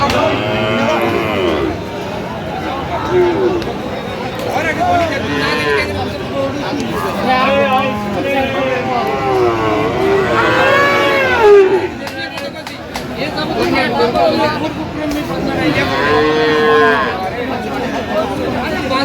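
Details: Friesian and cross-breed bull calves at a sale where a farmer from Madaripur is buying, 21 October; several drawn-out, wavering moos rise and fall through steady crowd chatter and bargaining voices.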